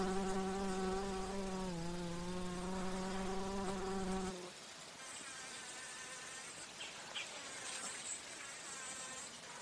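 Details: Flying bumblebee visiting flowers for nectar: a strong, deep hum rich in overtones for about four seconds. Its pitch dips slightly partway through before it stops abruptly, leaving a thin, high insect chorus and faint hiss.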